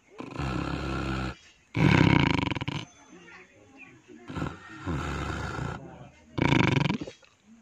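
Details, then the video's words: Pig snoring: heavy, rasping snores that alternate between loud, rough bursts and softer breaths, about four cycles in under eight seconds. "Longhong Angnar (Pig Snoring)"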